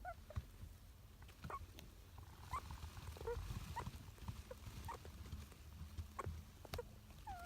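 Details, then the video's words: Sleeping pet male Richardson's ground squirrel named Kaito murmuring in deep sleep, a father who sleep-talks like his offspring; scattered faint squeaks and short chirps over a low rumbling background. "リチャードソンジリス 海渡(カイト)君の寝言(いびき？)"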